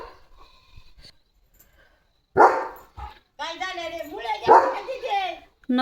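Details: German Shepherd named Leo guarding at the gate as a herd of sheep passes; two loud, sharp barks stand out between stretches of a person talking in Marathi.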